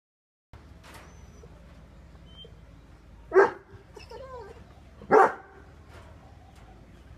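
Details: Two angry dogs, a Great Dane and a Rottweiler, barking: two single deep, harsh barks about two seconds apart, with a brief whining sound between them over a quiet background hum.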